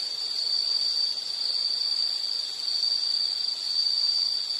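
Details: A constant shrill insect drone holds a single high pitch, swelling and easing gently in loudness about once a second, with light hiss behind it.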